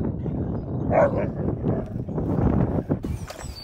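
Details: Siberian Husky Key on his seventh birthday, April 2nd, surprised and happy at reuniting with best friend Sherpa after three months apart; brief high whimpering whines near the start over outdoor background noise, then quieter rustling.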